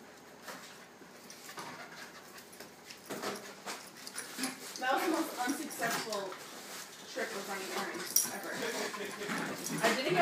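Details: Amber, a Wheaten Terrier, at play with Colby: irregular bursts of whimpering and quick panting that grow louder through the ten seconds, with a person talking over much of it.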